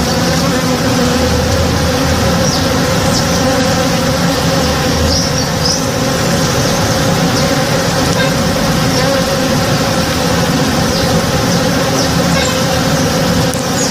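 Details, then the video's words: Morning hum of honey bees busy in a backyard tree in bloom, a thick continuous buzzing drone at even loudness throughout, with a few faint, short high-pitched chirps scattered over the steady hum. "Relaxing Sounds - Honey Bees (Real Sound)"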